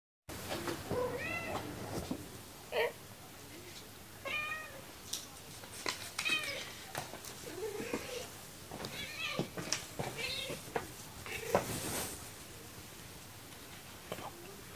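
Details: Female pet cat that loves tuna, meowing to ask for it: a string of short, rising-falling meows repeated every second or two over a steady background hiss.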